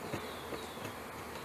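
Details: Short burst of massed honey bee droning during installation of package bees into a hive in May 2013; a thick, steady hum with slight flutters of wingbeat.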